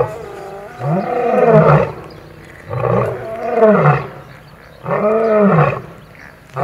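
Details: Lion roaring during a fight in which an old male battles young males over territory at Kruger National Park, South Africa, filmed at Kambaku River Lodge; three deep, harmonic-rich roars, each about a second long and arching in pitch, separated by brief quiet gaps.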